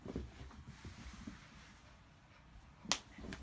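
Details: Quiet small room with soft knocks and one sharp snapping click near the end, no animal voice.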